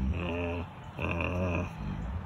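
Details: Wolfdog growling while communicating with its mouth, snarling and showing teeth: two low, rumbling, drawn-out growls with a buzzy harmonic edge, each lasting about half a second or more, separated by a short pause.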